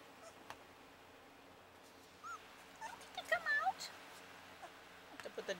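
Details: Puppies at play give soft, high whimpering squeaks: a lone curved yelp, then a tight cluster of short rising-and-falling yips about a second later, and a few faint squeaks near the end, over a quiet indoor background.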